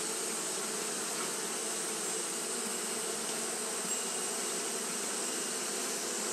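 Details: On a hot day Japanese honey bees keep up their fanning, giving a dense, constant buzzing drone with a low tonal band and a wash of high hiss.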